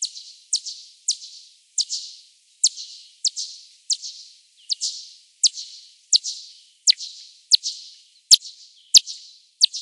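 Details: Bats of three species hunting over Oandu lake on the late evening of 8 June 2024, ultrasonic echolocation slowed ten times: steady series of sharp downward-sweeping chirps, roughly four per second, some louder clicks near the end, no other sounds.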